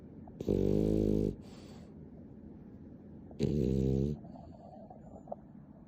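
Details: Nana, a pet dog described as clingy, snoring indoors, sped up tenfold: two loud, buzzy bursts with stacked harmonics, each lasting about a second, roughly three seconds apart, over a low steady hum.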